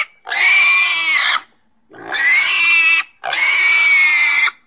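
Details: Three loud, piercing pig squeals, each about a second long with a steady pitch, evenly spaced by brief silences.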